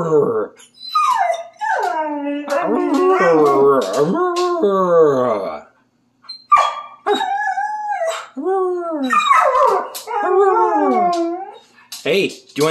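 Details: Siberian Husky, a rescue dog, excited and playing indoors, howling along with its owner in a quiet singing session; wavering, bending howls and yodel-like glides in repeated phrases with short gaps, brief sharp yips, a man's voice at times.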